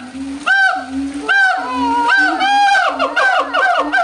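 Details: Howler monkeys calling loudly at the Audubon Zoo in New Orleans, August 2008; a run of throaty, bellowing roars, each lasting under a second, repeated in quick succession with ringing harmonics.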